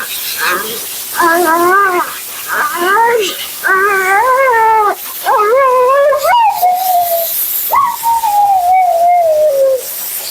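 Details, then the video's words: Mila, a talkative female Siberian Husky at her second-ever groom, vocalizing during her bath: wavering, whiny woo-woo phrases in short bursts, then two long, drawn-out howl-like cries sliding downward in pitch, over a soft background hiss. "Talking Husky FURNADO Bath and Blowout."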